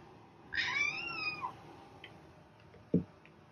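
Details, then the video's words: Cat giving a single drawn-out meow that rises and then falls, followed by a few faint clicks and a short thump. "Cat Meowing"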